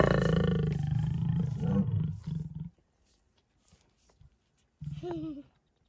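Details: Lions mating in the Kgalagadi Transfrontier Park, Kalahari: a deep, loud, rumbling snarl for about two and a half seconds fades into quiet, followed by one short wavering growl.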